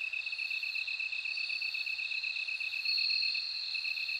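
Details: A high, even ringing of a bell cricket over a continuous pulsed insect chorus, with a louder bright note near the end.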